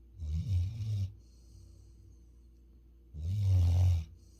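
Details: Futu, a Labrador Retriever living on Jeju Island, South Korea, snoring while asleep indoors: two deep, rumbling low snores about three seconds apart, each lasting roughly a second, with quiet breathing in between.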